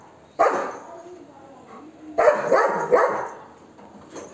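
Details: Golden Retriever barking aggressively at monkeys to chase them away: one sharp bark, a pause of nearly two seconds, then two quick rough barks close together.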